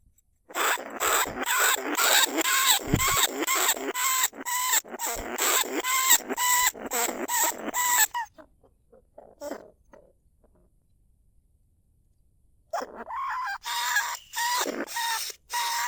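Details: Lesser bandicoot rat in a cage trap at Na Lao, Nong Khu Phai, calling rats. Rapid ringing squeaks come about twice a second for eight seconds. They fall to near silence with a few faint chirps, then resume briefly.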